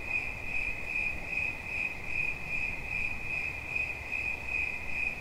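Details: A cricket trills in quick, regular high-pitched pulses, around two or three per second, against low-frequency background rumble.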